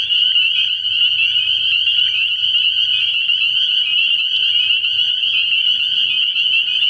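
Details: Spring peepers calling together from a frog pond at night in early spring, their massed high-pitched peeps blurring into one continuous shrill ringing, over a soft low hum.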